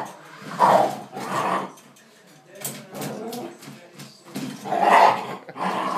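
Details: Dog facing off against a jeep, with rough growling barks in clusters, separated by quieter gaps with scattered noises.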